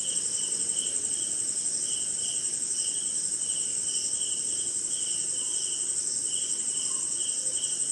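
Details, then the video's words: Night-time crickets in Indian forest during rain: even rows of short mid-pitched chirps, roughly two per second, beneath a continuous piercing trill, with a diffuse rain patter and an occasional faint lower call. "Sleeping Night in Jungle - Cricket & Swamp! Forest Sound"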